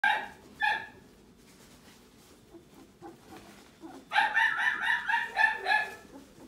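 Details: Newborn Italian greyhound puppy crying: two short, high, whining squeals, a pause of soft shuffling, then a quick run of about eight bright, harmonic squeaks.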